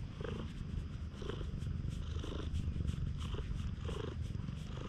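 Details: Stray cat at a campsite after rain, being very affectionate: steady, deep rumbling purr throughout, with soft rhythmic pulses and faint rustling.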